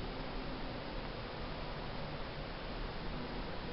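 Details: Only a steady broadband hiss fills the recording, with no animal sound.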